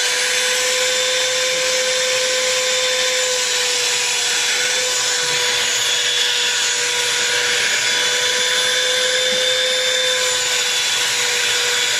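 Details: A loud, steady mechanical whine like a vacuum cleaner or power tool runs throughout, with no animal voice.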